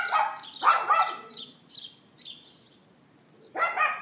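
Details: A neighbour's dog barks on 18 April 2012 at 11:31 AM, recorded on an iPhone 4S: sharp yapping barks near the start, another burst after a pause, with high chirping birds filling the gaps.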